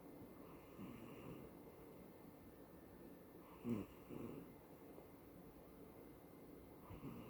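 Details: Sleeping female cat Kiki, dreaming and twitching, filmed September 2020; faint breathy snores with one louder snorting rasp near the middle, in a hushed indoor room.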